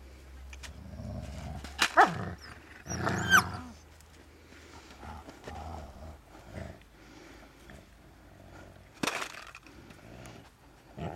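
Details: Saarloos wolfdog puppies, 51 to 52 days old, playing in August 2012 with rattle bottles, rattle cans, balloons, a tunnel and a can curtain, bathing in the water bowl and squabbling under a seesaw; short yelps and growls burst out amid clattering.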